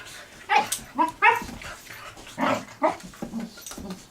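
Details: Two puppies on their first day together, playing for about three hours. Short high yips and barks burst out irregularly, several within a few seconds, over faint rustling.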